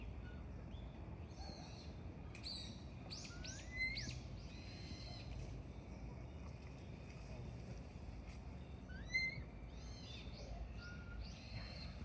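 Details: Frankentein...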